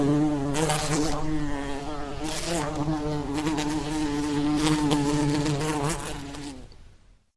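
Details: Flies buzzing in a steady droning hum with wavering harmonic bands, rising and falling slightly in pitch as they move about, fading out at the end.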